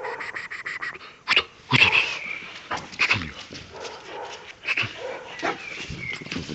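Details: Caucasian Shepherd Dog, one year and one month old, in Azerbaijan. It gives several sharp, loud barks at uneven intervals, with thin high whining tones between the bursts.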